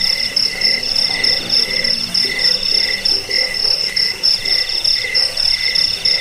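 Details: Crickets, offered as a rat deterrent, sleep aid and songbird tutor, chirp in loud high bursts roughly once a second, over a continuous lower trilling band and faint scattered low notes.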